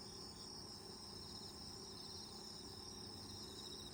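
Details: Autumn insect chorus outside an open lodge-style tent while camping in the countryside: dense, even, high-pitched ringing trills that continue without pause, over a soft low background hum.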